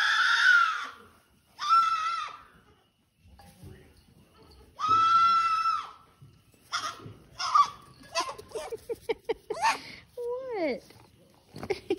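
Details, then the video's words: Baby goat on a farm in Athens, Tennessee, USA, on March 31, 2022, crying for the attention of the farmer standing behind a fence; three loud, strained, wavering screams, then shorter broken bleats, clatter and a faint low voice. "Dramatic Baby Goat Screams for Dad"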